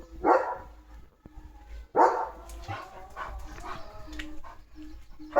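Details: German Shepherd named Leo barking at a dog passing in front of his village home. Strong, broad barks roughly every two seconds, with softer yips and a person's voice between them.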